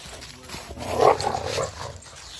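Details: A single deep, rough growling bark swells and fades over about a second from a dog in a group including Odin the German Shepherd and Samson the Boxer, with faint background noise.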